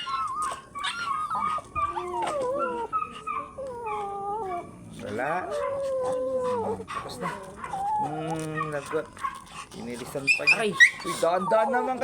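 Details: White teacup Pomeranian stud at his first mating session in Mangaldan, Pangasinan, giving a long run of bending, falling whines and yelps, some drawn out over a second, with brief human voices and background music.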